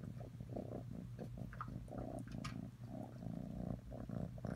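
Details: Atreyu the cat purring: a low, steady rumble with a faint hum underneath, broken into short uneven bursts, with scattered soft clicks and rustles on top.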